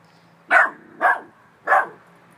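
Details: A Chihuahua mix puppy, said to be barking at a ghost, gives three sharp, high yappy barks about half a second apart while being asked what it sees.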